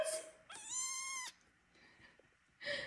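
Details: Hungry kitten among four littermates, waiting to be bottle-fed, lets out one strong, steady, nasal meow lasting under a second, framed by a woman's voice before and after.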